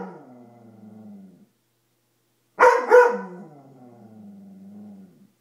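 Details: A Dobermann frightened by a coat lets out a double bark, preceded and followed by a drawn-out low growl that wavers in pitch.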